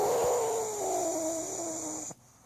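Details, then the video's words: Sleeping pug Sydney gives a long, loud, whistly snore that slowly slides lower in pitch over about two seconds before cutting off, while someone waits to take her for a walk. "Trying to wake snoring Sydney pug"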